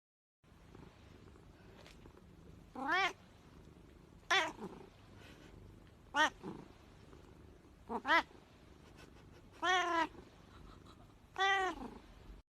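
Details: Kitten giving six short, clear meows spaced one to two seconds apart, each sliding up then down in pitch, over a quiet indoor background with faint noise.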